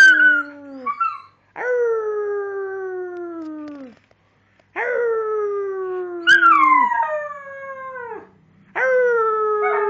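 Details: Dogs howling together, several long sliding howls with rich harmonics, each drawn out over one to two seconds and falling slightly in pitch, overlapping voices rising and breaking off between short silent gaps.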